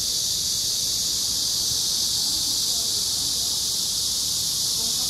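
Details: Korean giant cicada calling: a loud, unbroken, harsh high-pitched buzz that holds at a steady level for the whole stretch, with no pauses or changes in rhythm.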